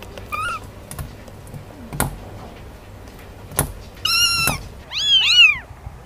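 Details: Cat meows amid knocks and hum: a short faint meow, a louder drawn-out meow, then overlapping high bending mews from more than one cat.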